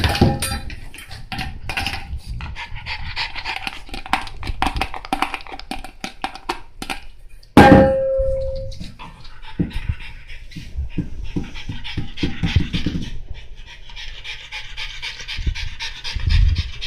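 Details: Monaka, a French Bulldog, pants steadily while playing with its bowl: fast rasping breaths throughout, broken midway by a sharp metallic clang that rings on as a clear tone, followed by more scraping and panting.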